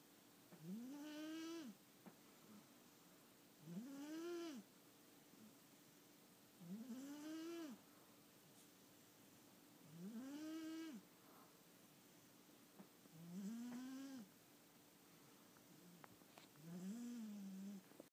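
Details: A tired domestic cat, indoors, snoring like a lumberjack: six slow, regular snores about every three seconds, each a harmonic, rising then falling drone, with quiet pauses between breaths.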